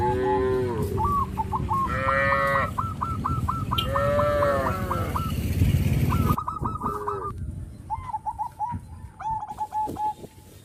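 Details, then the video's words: Herd of gentle rural cattle calling to one another; several throaty moos, three distinct bouts in the first five seconds, interleaved with rapid trains of honking notes from other animals, then quieter honks toward the end. "suara kerumunan sapi lucu memanggil kawannya"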